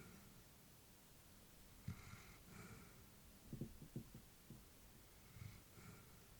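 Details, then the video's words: Elderly female Labrador Retriever sleeping peacefully indoors, filmed during a time of worry over her age; soft snorting breaths with brief nasal puffs, a cluster of short snuffles midway, quiet room. "Elderly dog sleeping with breathing sounds"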